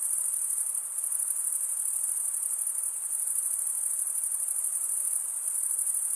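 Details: Shrill, unbroken high trill of male crickets stridulating with their wings, steady in pitch and volume for the whole stretch, with faint soft background noise beneath.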